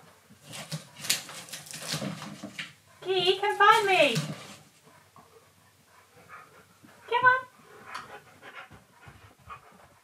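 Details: Pet dog Keyush hunts indoors for his owner's voice coming from a giant teddy bear. A long, wavering, descending vocal whine is followed by a shorter rising yelp, between breathy panting and scuffling sounds.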